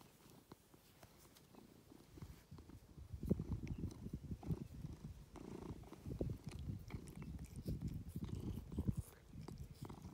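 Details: Ovenmitt, an affectionate domestic cat nicknamed Lovebug living on an Irish farm in County Kilkenny, purrs contentedly under attention; steady low rumbling, growing louder after a quiet start, with small clicks and rustles.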